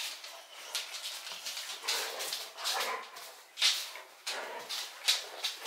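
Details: Indoors near Landskrona, Sweden, the male Boxer Rex romps with his friend Baloo, a Bullmastiff; short harsh snorts and noisy huffing bursts rise and fall every second or so in a small room.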